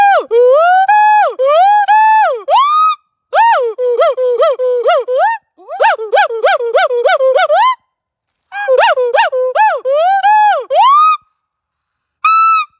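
A gibbon gives loud, hooting calls that swoop up and down in quick repeated phrases.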